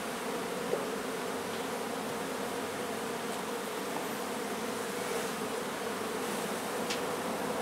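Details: Steady, unbroken humming of a honey bee colony during a hive removal from a renovated old home in Donna, Texas; an even drone of many wings holds throughout.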